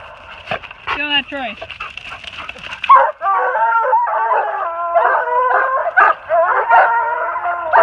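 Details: Loud-mouthed Treeing Walker Coonhounds treed on a big den in New Jersey, 3/28/18, a spotted female plus a chop-mouthed and a long-bawling male; a brief murmur first, then rapid ringing harmonic barks and prolonged bawls, about two or three per second.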